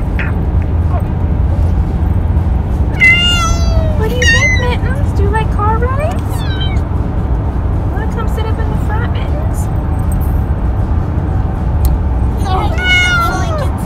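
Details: Riding in a car on a lap, a male cat keeps meowing: clusters of quick, bending meows early on and again near the end, with speech and steady vehicle road rumble underneath.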